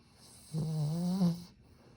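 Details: Sleeping Satsuma beagle snoring very softly today: a single low, steady droning snore of about one second, buzzy with layered overtones and a slight rise near its end, then quiet breathing and a faint high hiss in the room.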